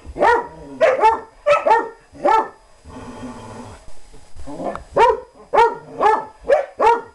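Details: German Shorthaired Pointer at play with a companion dog: four quick barks, a pause filled with a low rumbling growl, then a fresh run of five clipped barks.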